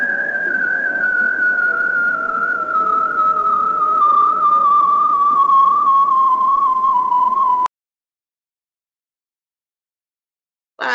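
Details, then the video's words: A bearded seal recorded underwater by hydrophone in Alaska gives a long, warbling trill that slowly glides downward in pitch. "So let's listen to a bearded seal that's vocalizing."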